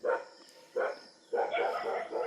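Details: At night in the Himalayan foothills after a leopard attacked it, a dog gives short mid-pitched barks, then quick wailing barks in a crying tone while other dogs bark continuously.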